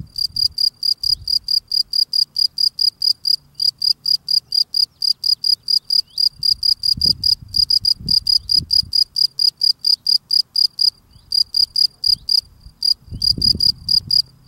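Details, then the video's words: Singing field cricket tidying its burrow entrance: a steady stream of sharp, high-pitched chirps, about four each second, with brief gaps, and soft low scuffling noises from the digging and cleaning in places. "Field Cricket cleaning his steps singing"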